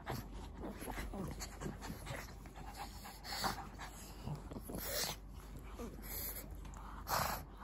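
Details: Shih Tzu and Pug together, soft breathy panting and snorts in short noisy bursts over a steady low hum, with a faint murmur of speech in the room.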